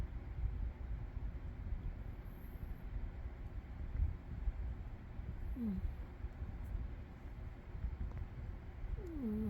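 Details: Sleeping cat Umi snoring: a low rumbling drone, then two short falling whistles from the nose in the second half, about four seconds apart.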